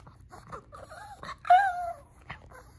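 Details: Female pet Shih Tzu Lacey, indoors, a dog that talks a lot when she wants her treats. She gives soft murmured grumbles, then a loud drawn-out whining howl that bends up and down in pitch, and ends on a brief yip over faint room hum.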